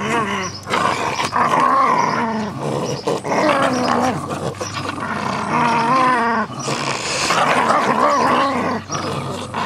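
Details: Pair of Jack Russell Terriers at play with a soft toy rabbit, giving near-continuous wavering growls that bend up and down in pitch, thick with harmonics, almost without a break across the stretch.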